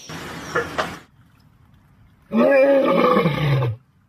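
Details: Cow mooing: after a short burst of rustling noise and a pause, one loud, low, drawn-out moo lasting over a second, with a steady tone that sinks lower at the end.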